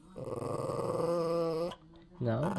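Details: Hungry pet dog asking for food with a long, steady, moaning tone held for about a second and a half that rises at the end, then a short second moan; a person's voice is nearby.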